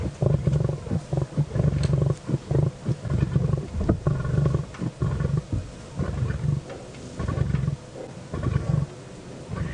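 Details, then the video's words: Lionesses with cubs at the end of a carcass on a sunset safari drive, 2 June 2017, growl in deep, rumbling bursts at feisty cubs, not at the vehicle, with low engine hum beneath; lion. "You can hear them growling every now and then."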